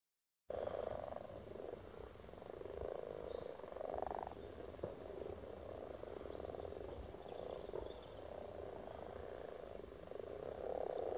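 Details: Frogs spawning in Silton Forest, a dense chorus of many overlapping low purring croaks forming a steady murmuring band, swelling in places, with faint distant bird notes above.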